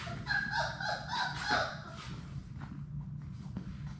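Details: Playing Labrador Retriever puppies from Sadie's litter of six in their play room: loud overlapping squealing yips and whines packed into the first second and a half, followed by quieter scuffling and rustling against a low hum.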